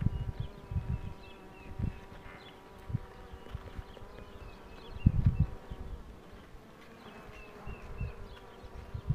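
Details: Honey bees buzzing as the queen box is pulled: a steady low hum with a drone-like tone, broken by irregular low thumps and rumbles from handling, and faint high chirps in the background.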